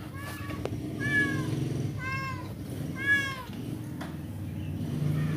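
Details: Persian cat mating with a village cat: three harmonic, drawn-out meowing wails about a second apart, rising then falling, over steady low engine-like hum and a person speaking briefly.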